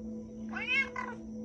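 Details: Pet cat, addressed as a good boy and asked if it is hungry, gives a two-part meow: a longer arched note followed by a brief shorter one, over a steady background hum.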